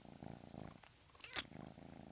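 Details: Domestic cat that makes an unusual sound, rarely caught because it becomes quiet; rhythmic low purring in pulsed bursts, broken by a short sharp noise just after the midpoint, then purring resumes.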